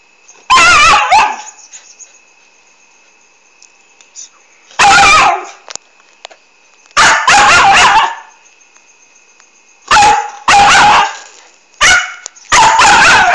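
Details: Australian Kelpie barking noisily at a silent cat: loud, harsh barks in bursts, some single and some doubled, with quiet gaps of one to three seconds between them, and a steady faint hum in the background.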